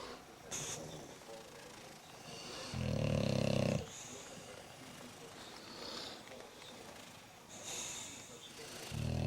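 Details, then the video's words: Pair of bulldogs snoring in their sleep while another bulldog watches: fainter passage with one clear rasping snore of about a second in the middle and another starting at the end, soft rustling between. "Snoring Bulldogs"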